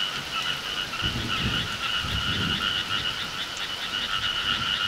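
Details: Countryside frogs in summer calling as a continuous pulsed chorus in two bands, with soft low rumbling thuds around the first and second seconds beneath the steady croaking.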